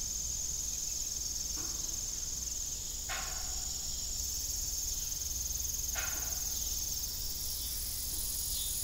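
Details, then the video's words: Evening cricket chorus on an old farm, steady high trilling that fills the background while an old windmill squeaks and creaks a few times. "Evening Cricket Sound"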